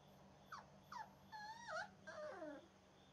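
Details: Butch, a flashy mahogany male AKC Boxer puppy, playing on the porch, gives a run of high whimpering whines: four or five short tonal cries, some falling, some wavering, with a steady low hum underneath.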